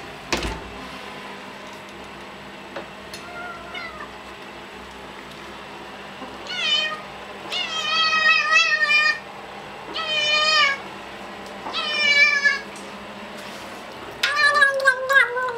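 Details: Hungry domestic cat meowing indoors; a run of loud, drawn-out meows, several wavering in pitch, some close together and some spaced a second or two apart, with a clatter at the start.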